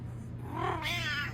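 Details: Plump pet cat indoors makes a drawn-out two-part meow, a soft lower start sliding into a brighter wavering cry, over a steady background hum.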